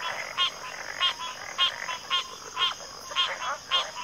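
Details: Several frogs calling in quick succession, each call a brief buzzy rattle about every half second, over a persistent high whine.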